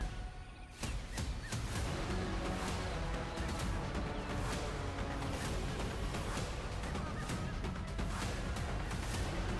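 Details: Dramatic music with sharp percussive booms and crashes, and no clear animal voice.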